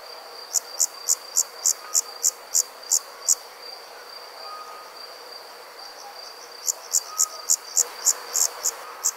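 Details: Crickets at night, chirps pulsing about three times a second in two bursts separated by a quiet gap of several seconds, over a steady high hum and faint background night ambience.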